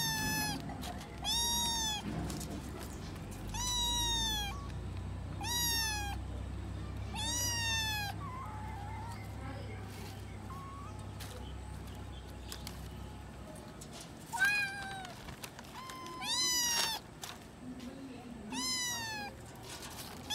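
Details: Kittens calling, separated from their mother cat, with repeated high mews roughly every two seconds, some short and rising, others longer and bending down, amid soft background hum and a few faint voices.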